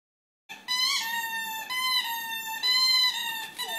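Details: Rhodesian Ridgeback named Lana singing while playing indoors: a sustained, high, clear tonal howl in long drawn notes with short breaks, slightly wavering in pitch, rich in overtones.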